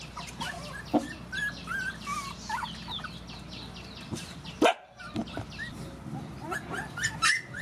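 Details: Rescued mother dogs and puppies at feeding time: a busy chorus of high, thin whines and short yips from several animals overlapping, with a few sharper bark-like bursts and background clatter.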